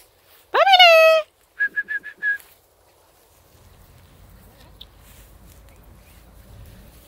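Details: Samoyed puppies, 43 days old, from a first litter; a high, clear whining howl falling slightly, then four short, even yips in quick succession, followed by quiet background rustle.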